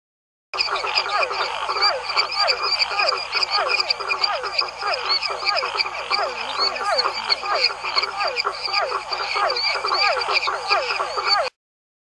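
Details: Barker frog (rã-cachorro) recorded in Araçoiaba da Serra, São Paulo, Brazil, in October 1993: a dense chorus of short, rapidly repeated barking notes, many calls overlapping continuously, with a faint low hum beneath.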